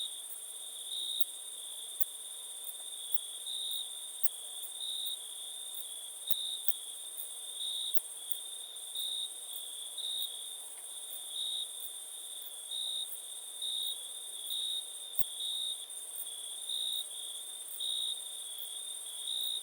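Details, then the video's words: Quiet, shrill cricket chirping: brief high pulses recurring steadily about twice a second across twenty seconds, over a constant thin ringing note and little else. "Cricket sound"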